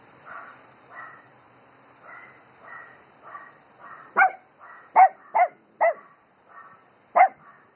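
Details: Dogs barking at the wind; soft distant barks repeat at first, then a nearer dog cuts in with five loud sharp barks, some in quick pairs, over a windy hiss.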